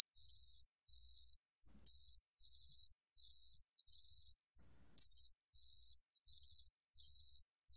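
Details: Trilling song of the gaksi cricket (각시귀뚜라미), 2020 National Institute of Biological Resources recording: a shrill, continuous high-pitched buzz with a pulsing rhythm of about four beats per two seconds, paused twice by short silences.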